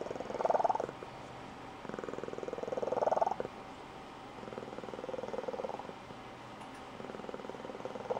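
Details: Female Blue Point Tonkinese cat indoors giving a squeaky high-pitched trilling purr; two louder squeaky trill bursts early on, then softer rhythmic purring trailing off, as if braking to a stop.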